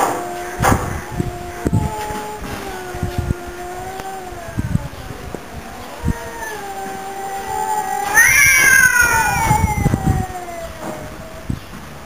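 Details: Mr. Brown and Mr. Black, two house cats, sing a duet. Sustained, overlapping yowls slowly fall in pitch, then a louder, higher wail swells midway, with scattered knocks underneath.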